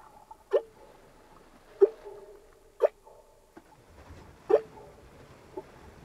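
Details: Humpback whales recorded underwater: short grunting pulses about once a second, several trailing into brief low moaning tones, over faint background hiss and no music.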